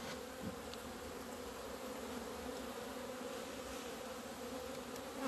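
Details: Mid-February 2020 hive of honey bees emerging into the sun after two months of winter; a dense, unbroken drone of many wings, a few faint ticks and a louder thump at the very end.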